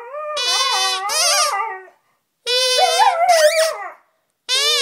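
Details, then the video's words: Siberian Husky singing, a pet dog giving drawn-out harmonic howls that waver and rise, two long phrases separated by short pauses, with a third starting at the end. "the Singing Husky"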